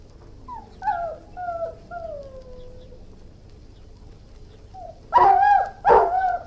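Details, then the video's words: Several high, falling whines from an Irish Wolfhound, a quiet pause, then two loud, rough barks close together near the end. "Irish Wolfhound, Howling, Barking & Whining"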